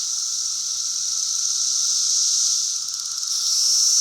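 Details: Brood V periodical cicadas in their 2016 emergence, a dense sustained high hiss from many insects, dipping briefly in loudness before rising again, over a faint steady lower hum.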